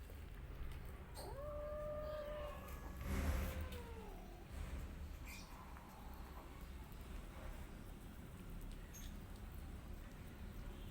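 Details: Rescue cat with kittens eating together: two drawn-out meows, the first steady then dipping at its end, the second lower and falling, followed by quiet feeding noises and low background rumble.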